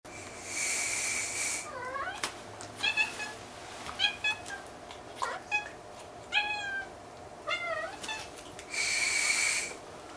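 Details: Munchkin kitten, Kikunosuke, discovering soap bubbles indoors: about six short, tonal meows, several rising then dipping, spaced roughly a second apart, between loud hissing bursts at the start and end.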